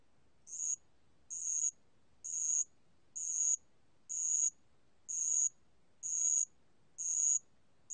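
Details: Bell cricket singing, recorded 2020: high, shrill chirps repeated about once a second, each a short ringing burst with fainter lower overtones, steady and evenly spaced over a quiet background.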